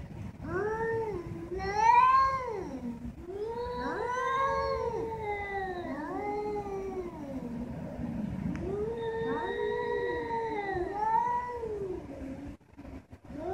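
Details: Two domestic cats talking to each other in a continuous vocal exchange of overlapping, arched, wavering yowls that rise and fall, some calls answered before the last one fades.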